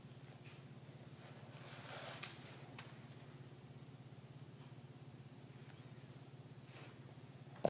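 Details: An exhausted, deeply sleeping Boston Terrier that nothing can wake snores with a low, steady, rattling rumble.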